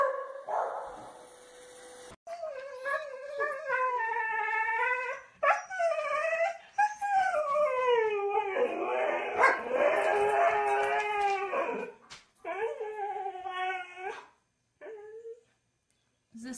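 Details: Pet dog from a funny dog compilation, howling in long drawn-out tonal wails that rise and fall, broken by short yips and whimpers, with brief gaps of near silence toward the end.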